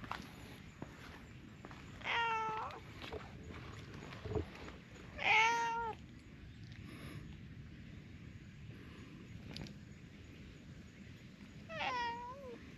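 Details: Brown tabby stray cat, a loner driven from its territory in a park, demanding to be petted: three clear meows around two, five and twelve seconds, each with a stacked harmonic band that rises then falls, over low outdoor rumble.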